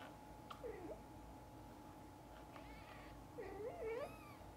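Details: Mother cat with her kittens: a low wavering meow, then after a pause a longer drawn, yowling meow rising into a higher wail, against a steady hum indoors.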